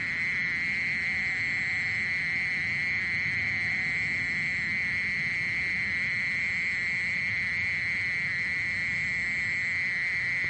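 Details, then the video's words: Steady mole cricket trill, 2020, National Institute of Biological Resources: one sustained buzzing tone at unchanging pitch with weak overtones, droning without break across the whole stretch, soft hiss underneath. "땅강아지, 여러번 듣기, 곤충소리"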